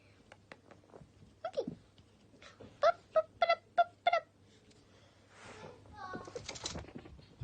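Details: Two pet guinea pig boars, Toffee and Fudge, playing and popcorning indoors. A run of four short, squeaky calls comes in quick, even succession, framed by scattered softer squeaks, rustling and a person speaking nearby.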